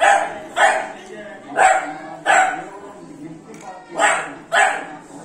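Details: A 3-month-old Beagle puppy playing with water gives a run of short, sharp barks at uneven intervals, seemingly wanting a mug.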